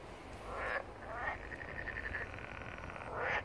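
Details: Wetland frogs at Barletta on Italy's Puglia coast, first calls of the year on 1 April 2022, below a hill of blooming poppies; a couple of short croaks lead into an even, rapidly pulsed trill lasting about two seconds.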